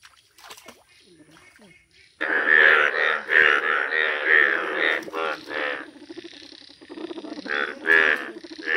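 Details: Quiet start, then yellow Indian bullfrogs break into a sudden loud chorus of rapid, rasping harmonic croaks, pulsing irregularly and easing slightly toward the end.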